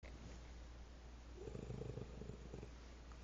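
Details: Female dog, angry with a bone in her mouth, gives a low, rumbling, pulsed growl like an idling motorcycle, swelling for about a second mid-clip over steady low background hum.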